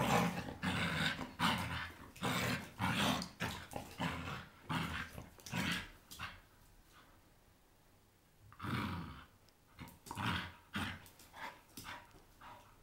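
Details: Blue Staffordshire Bull Terrier playing with a toy indoors, giving rough, throaty growls in rapid bursts about one and a half per second, then a short pause before another run of growls.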